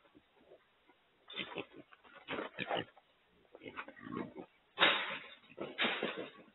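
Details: Wild pigs, also called feral hogs, held in a remote-controlled corral trap during trapping and loading. Harsh, broadband squeals and grunts come in irregular bursts about a second apart, with quieter gaps and some faint voices between.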